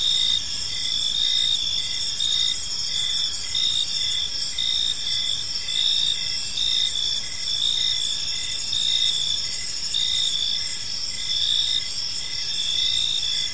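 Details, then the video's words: Steady cricket chorus in a park as evening falls: repeated high chirps roughly once a second, a continuous shrill insect buzz beneath, and faint low ambient rumble. "Cricket Sounds in a Peaceful Park"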